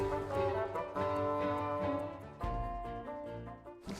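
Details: Only orchestral music with low bowed strings and brass is heard, with no animal sound.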